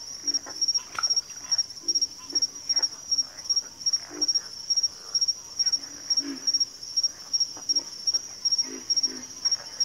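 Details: Grunting frog calls, low and coarse, repeat irregularly through a backwater chorus, some doubled, with a loud steady pulsing insect trill high above throughout.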